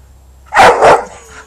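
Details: Frustrated bull terrier, angry when denied what it wants, gives a loud double bark: two harsh bursts close together, followed by a brief fading tail and quiet.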